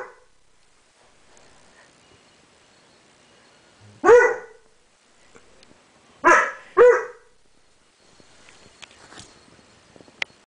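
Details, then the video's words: Banks, a seven-month-old dog, barking at his reflection in a mirror: three short, sharp barks, a single one followed by a quick pair about two seconds later, with quiet shuffling and faint clicks between. "Banks mirror"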